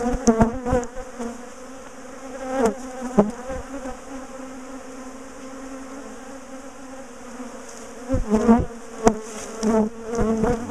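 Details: A bee colony that had been chasing its owners hums continuously while being moved out of its top bar hive. The drone holds steady through a quiet middle stretch, with clattering and voices at the start and end.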